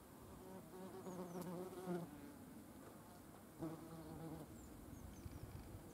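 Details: Yellow jackets collecting proteins to feed their larvae: a low droning wing buzz with stacked harmonics that swells and fades in two bursts as wasps fly near, with faint high chirps in the background.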